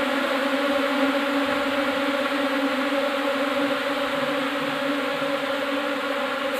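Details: Asian honey bees (Apis cerana indica) moving into a hive box as a fresh swarm produce an unbroken, even drone, thick and humming at a constant loudness throughout.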